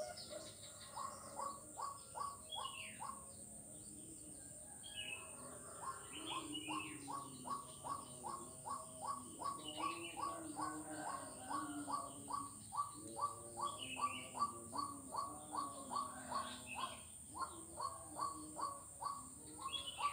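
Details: Recorded 4 November 2021 on Jalan Kolonel Sugiono in Kuala Kapuas, Central Kalimantan, a frog gives long runs of quick, clipped notes, roughly two or three a second, pausing briefly now and then, amid bird chirps and a constant high insect drone.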